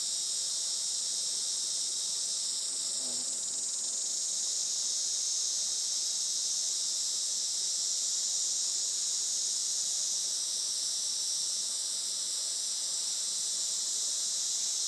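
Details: Sunny midday in July 2024 on a traditional farm in Saitama, Japan: cicadas produce a constant, sizzling high buzz that swells slightly in places, with a faint low sound near the start.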